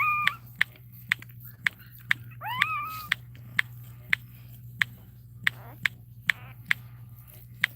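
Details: Cane Corso whining indoors during Cashmere's labour, with a short high cry followed by a longer rising-then-level whine, against a steady low hum and regular sharp ticks about every half second.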